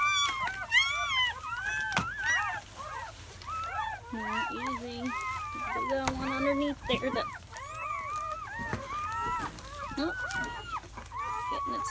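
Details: Seven newborn German Shepherd puppies (4 males, 3 females) in their first hours of life, born May 7–8, 2017, squeak and whine in a busy, overlapping chorus.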